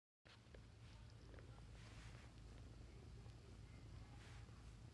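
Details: A Bengal kitten purrs in a steady, low, throbbing rumble that carries on without a break.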